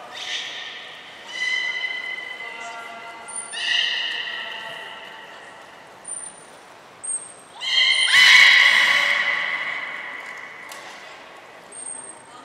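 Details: Belugas Nana, Mirai and Niko during a training session at Port of Nagoya Public Aquarium, 11 January 2021: a series of high, steady whistled tones and buzzy bursts, several overlapping, with sharp short pips and a louder harsh burst midway.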